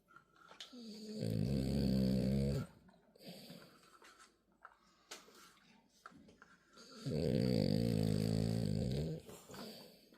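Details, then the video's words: French Bulldog in deep sleep, snoring: two long, low rumbling snores of about two seconds each, roughly five seconds apart, with faint breathing and small rustles between them. "코골이 딥슬립"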